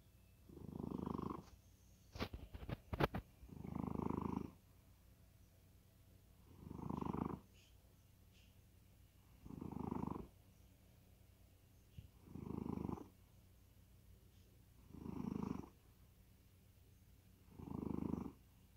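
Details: Cat in deep sleep snoring evenly: seven low, raspy breaths recur about every two and a half to three seconds, and brief sharp clicks sound early on.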